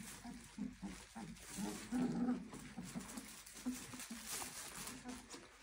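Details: A litter of Clumber Spaniel puppies aged 23 days keeps up low, nasal whines and grunting murmurs repeated several times a second, swelling briefly around two seconds, with soft background voices.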